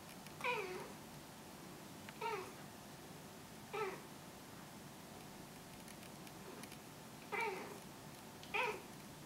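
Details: Pet cat that often chats, calling indoors: five brief, bright meows with a sliding, slightly bending pitch, spaced roughly one and a half to three seconds apart, with low room hum beneath.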